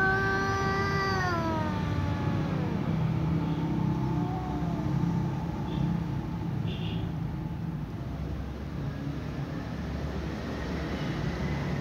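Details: A ginger cat and a tom cat communicate by meowing; one gives a long, drawn-out meow that holds steady, then slides down in pitch.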